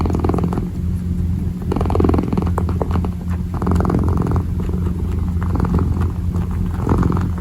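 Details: Purring kitten kneading, a continuous deep vibrating drone held throughout, broken by brief scratchy rustles of paws working the surface.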